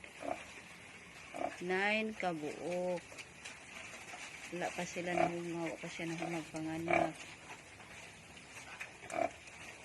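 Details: Newborn native piglets at a backyard farm in Balamban, Cebu, Philippines: a sharp rising squeal, then a cluster of strained, wavering cries in quick succession, with steady background hiss and low murmured talk.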